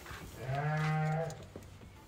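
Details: A pregnant ewe gives a single drawn-out, low, steady bleat of almost a second, rich in harmonics, then fades. Faint knocks and background noise follow.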